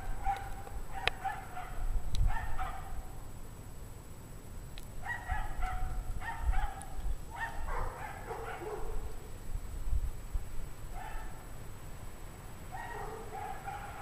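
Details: Pack of unhappy dogs barking in freezing 17-degree Fahrenheit weather at 5 PM on January 9, 2009; far-off overlapping barks in irregular bursts throughout, several dogs answering one another, with constant low background rumble.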